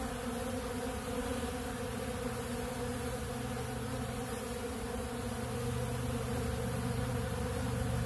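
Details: Honeybees crowding a big blue pollen feeder and feeding on ultra bee pollen make a continuous, even droning hum. Many wingbeats blend into one thick buzzing mass with a faint low steady tone underneath.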